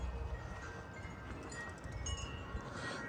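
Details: Gusty wind rumbles while wind chimes ring softly, with no clear animal calls.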